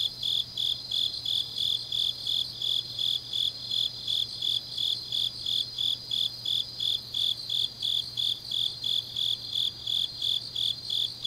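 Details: Grass insects on a deep autumn night in Changnyeong, South Gyeongsang, Korea: high chirps pulsing about three times per second, with a steady continuous high trill layered above and a faint low hum beneath.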